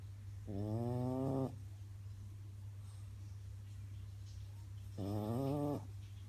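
A French Bulldog snores in two long, rasping, harmonic-rich breaths about four seconds apart.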